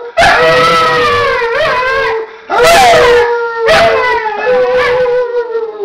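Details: A dog and a person howl in unison, holding long sustained, slightly wavering notes that rise and fall. There are brief louder bursts and two short pauses between the howls.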